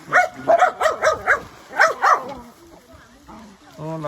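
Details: Pet dog yapping while being taken swimming: about seven quick, high, bouncy barks in two runs over two seconds, then quieter murmurs and a person speaking Khmer at the end.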